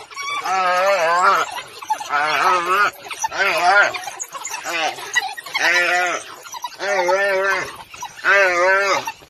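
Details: A pack of African wild dogs hunting in Africa, working as a team to chase and corner a gemsbok; bursts of high, wavering, twittering calls with strong harmonics repeat roughly every one to two seconds.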